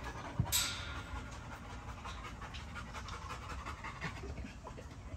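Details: Great Dane, a big dog by a fence, panting in quick, steady breaths roughly three per second, with a sharp knock near the start and faint background hum.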